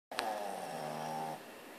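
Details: A female Boston Terrier snores with one long, buzzy, rattling breath that stops abruptly; her owner says she snores a lot.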